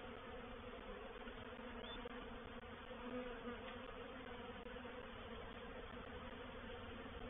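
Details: Honey bees of a reproductive swarm settling into a swarm trap at Painted Peacock Manor on 04/07/21; an even, thick hum of many wings holds steady throughout with no other clear sounds.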